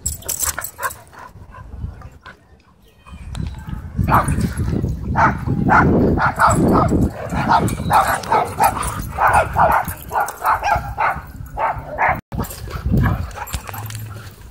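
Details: Dogs in wild play at a dog park produce a fast, irregular run of loud barks and yips for several seconds, with some voices in the background.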